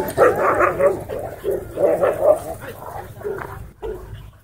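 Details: Pit Bull puppies at a dog park, unafraid of the larger dogs around them; a run of sharp mid-pitched barks comes in quick bursts, several per second, then thins out into spaced single barks, with faint voices behind.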